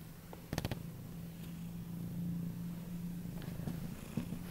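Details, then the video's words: Eight-month-old male Siberian cat purring loudly indoors while begging to be cuddled: a low, continuous rumbling purr, with a few brief rustling and clicking sounds near the start. "Siberian cat begs to cuddle, loud purr"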